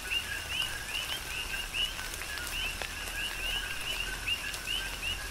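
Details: Several coqui frogs chirp through a tropical downpour on Hawaii's Big Island, each call a brief low note followed by a higher upswept whistle, about seventy-five calls a minute in an irregular overlapping chorus, rain hissing behind.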